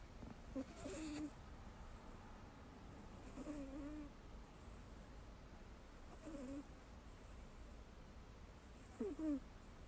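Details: Ragdoll cat Mel, fast asleep against a fellow cat's rear, lets out soft whistling snore notes, wobbly and nasal, four breaths about three seconds apart with a faint rustle at the start.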